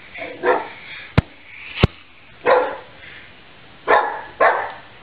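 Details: A pet dog barks in short, rough bursts, four barks spread over five seconds, with two sharp knocks between the first barks and a quiet room behind.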